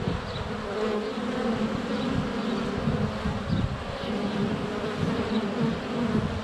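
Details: Honey bees in flight at a hive entrance on a sunny February day, recorded up close with a GoPro Hero 7 Black; a dense, steady low hum with overlapping wingbeat tones and faint high bird notes above.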